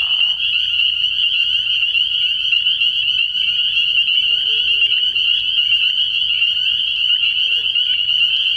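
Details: Frog pond at night in early spring, thick with calling spring peepers. A loud, close, steady wall of shrill peeping, with nearer individuals adding a faint lower trilling edge beneath the high tone.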